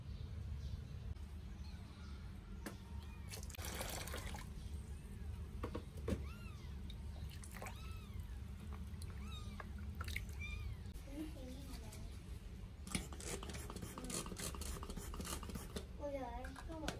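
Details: Two 8-day-old Sphynx kittens given their first bath: many thin, high, arching mewls over steady running and pouring water, with splashing and a brief voice near the end.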